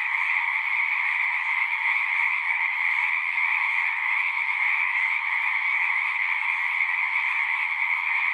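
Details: Frogs singing in a dense chorus at a pond in a horse pasture, recorded on a Zoom 6; a steady, unbroken wall of high trilling voices overlapping with no pauses throughout.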